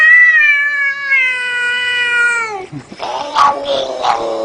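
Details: Cat giving a long, loud, drawn-out meow that holds steady for over two seconds and then drops, followed by softer chirping meows; a person had greeted the cat just before.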